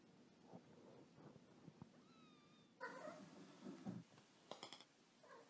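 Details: [1, 'likely', 'meow', 'Pet cat giving a few short, soft meows in a quiet indoor setting: a harmonic cry near three seconds, a lower, rougher call soon after and a brief bright chirp, with faint background hum throughout.']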